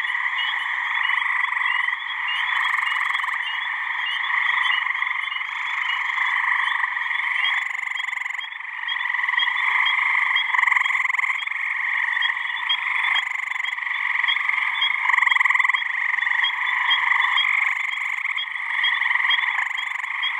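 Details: Deafening mating chorus of many male gray tree frogs in a New Hampshire swamp on a warm mid-May evening; continuous overlapping pulsed trills form a steady wall of sound with faint high chirps on top.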